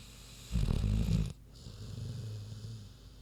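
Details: Queenie, a big pig, asleep and snoring: one loud, deep rumbling snore lasting under a second, followed by quieter low breathing.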